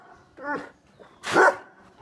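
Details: A Great Dane and a Rottweiler, both angry, give short, harsh barks one after another.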